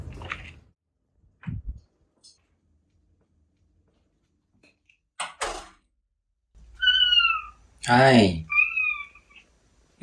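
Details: Ragdoll cat indoors, angry at its owner who keeps sneezing from hay fever, giving two drawn-out falling meows near the end amid a person's soft speech, a knock and a burst of voice.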